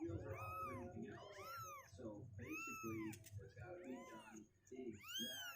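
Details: A litter of healthy two-week-old kittens, legs getting stronger, refusing to sit in their box, meowing insistently in a busy chorus of high, bending cries, several overlapping, indoors.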